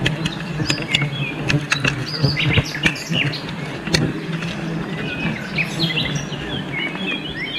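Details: Honey bees during a wild honey harvest in a forest, giving a steady low hum throughout, with sharp clicks and frequent chirping birds layered above.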